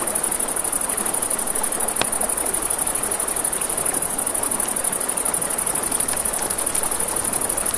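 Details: Crickets by a river after dark produce an unbroken, high-pitched rapid pulse, while a campfire crackles and water murmurs underneath; one loud snap near the second mark.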